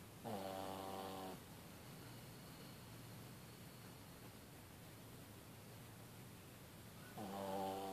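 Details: A sleeping dog snoring on Valentine's Day, 14 February 2015, indoors: two long, harmonic, droning snores about six seconds apart, each lasting roughly a second, with a steady hiss of quiet breathing between them.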